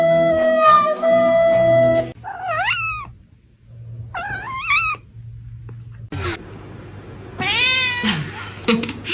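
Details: Kitten giving short, bending meows, each rising and dipping in pitch, in two separate bursts and then a louder cluster near the end, after an opening of music, with faint background music between calls.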